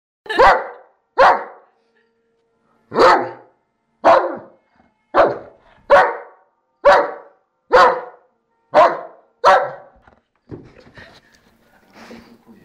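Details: Dobermann dog at play giving about ten loud, sharp barks in an irregular series, with a short pause after the second, fading into faint rustling at the end.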